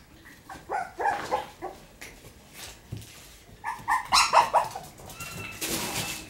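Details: Shiba Inu puppies playing energetically in their puppy room on 9 November, giving a burst of short, high yelps and small barks in quick clusters, a pause, then a second louder run of yaps, with a person's voice nearby.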